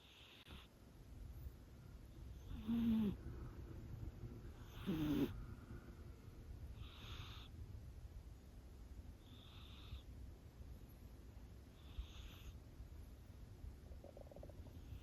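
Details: Chama, a five-month-old Scottish Fold kitten living with a heart condition, snoring in sleep: soft breathy rasps roughly every two to three seconds, two louder buzzy low snorts early on, over a quiet room hiss.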